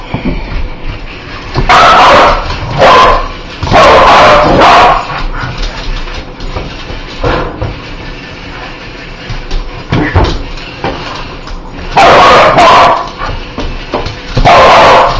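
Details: Dog that hates spiders barking: loud harsh barks in bursts of two or three, with quieter gaps of scuffling and low sounds between them.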